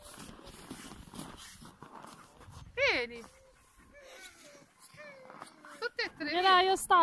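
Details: Siberian Huskies on a farm near Rovaniemi in Lapland, Finland. A sharp rising yelp stands out, followed by scattered short whines. An excited burst of high, quavering howls from several dogs closes the passage.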